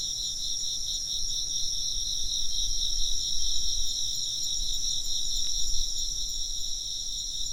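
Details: Chirping insects from a Japanese relaxation soundscape: continuous layered high trilling in bright bands that waver in rapid pulses, over a noticeable low rumble that swells midway.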